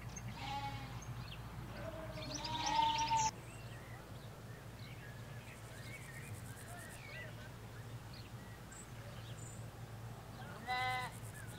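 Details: Sheep, ewes with their lambs, in a Hampshire countryside field give three quavering bleats: one early, one loud and drawn out, and a last near the end. Small birds twitter between them over a low hum of distant traffic.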